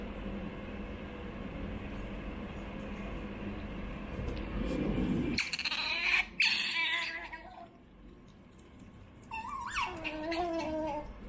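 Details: Choco, a young female pet otter, begging for food indoors: a burst of loud, harmonic squealing whines midway, then a shorter rising-and-falling squeal near the end over a steady low room hum.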